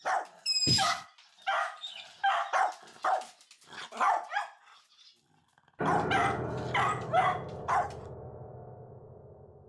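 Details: A Cavalier King Charles Spaniel, startled into jumping by a fart prank, gives a run of sharp, high barks, about two a second, then after a short pause a louder burst of barking over a broad rumble.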